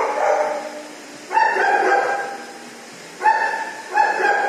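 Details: Frightened dog at a dog shower, scared at first, giving drawn-out tonal whines about a second long, each starting abruptly and holding a steady pitch, with two shorter whines close together at the end.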